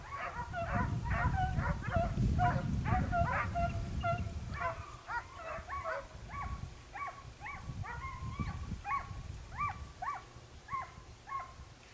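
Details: Segugio Italiano hound giving tongue while hunting hare in Evros, 22 October 2023; rapid run of high, yelping barks with bent, rising-falling tones, roughly two per second, then sparser yelps over low rumbling background noise.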